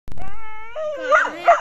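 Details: A pit bull puppy gives a drawn-out, steady yelping note, then a wavering, higher whine.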